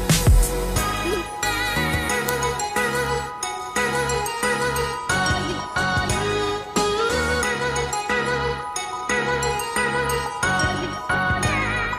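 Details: Bright instrumental music with chiming bells and steady beats, no animal voices.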